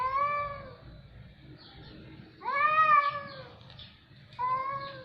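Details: Cats making a harsh, alarming sound: three drawn-out, tonal meows, each falling slightly at the end, separated by short pauses, with a faint low rumble underneath.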